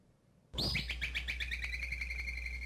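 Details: Woodchuck alarm whistle, played back as an example of alarm call diversity across marmot species: a high whistle that starts abruptly, dips, then levels off, broken into rapid pulses for about two seconds, with a low background hum.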